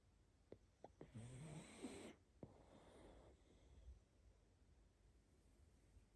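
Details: A pug asleep gives one rough, buzzing snore of about a second, followed by soft snuffling and breathy sniffles against a quiet room background.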